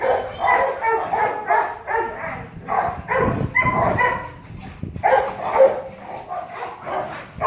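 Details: Male Rottweiler named Loki, a kennel stud dog almost 2.5 years old, playing and barking in a steady run of short, rich-toned barks, a few louder bursts near the middle and end.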